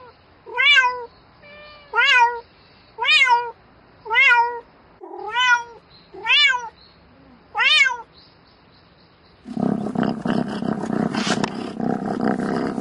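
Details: Domestic cat calling for a mate at night: seven short, bright meows, each rising then dropping, given about once every second, followed by several seconds of loud rustling noise.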